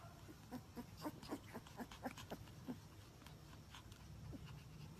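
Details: Siberian Husky puppies in a litter, giving short squeaky yelps in a quick, uneven series for about three seconds, then fading into soft rustling and shuffling.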